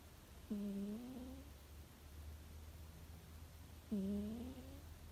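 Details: Sleeping cat Chuchu snores in Hokkaido in spring, early May. Two short, buzzy, tonal breaths sound about three and a half seconds apart, each slightly rising then flattening, above a faint low room hum.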